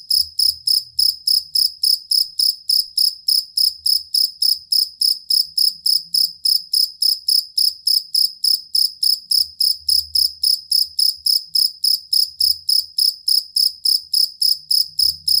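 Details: Chirping of a cricket, named locally jangkrik kalung or jangkrik aduan and used to teach songbirds: a long, stable run of shrill, evenly spaced chirps, roughly three and a half per second, over faint low rumbling.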